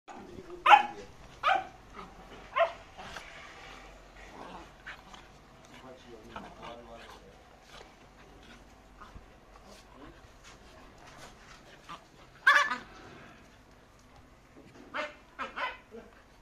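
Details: Husky and beagle fighting: sharp loud barks and snarling bursts at irregular intervals, clustered at the start and again near the end, with quieter growling and human voices between.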